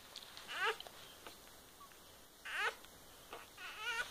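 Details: Day-old kittens from a litter born 13 May 2015: three wavering, crying mews, each breaking into several quick pitch wobbles, the first near the start and the others at two and a half and nearly four seconds, with faint rustles.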